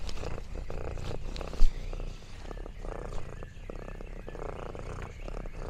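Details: Lexi, an orange tabby cat, purring contentedly while exploring a countryside farm; a steady low rumbling purr with faint rhythmic pulsing runs throughout, with soft rustling and crinkling noises and one brief sharp tap near the start.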